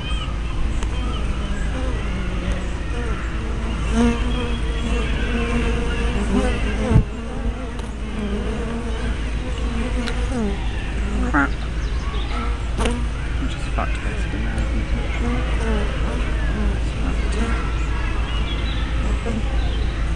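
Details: Hive entrance of honey bees filmed on a spy camera with a 180-degree fisheye lens, giving a continuous low hum of many wings with wavering tones as individual bees come and go.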